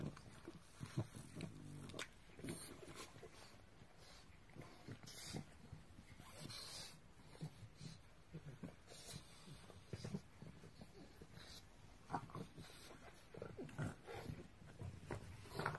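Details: A pug growls in low, rumbling bursts, angry after another pug stole its snack.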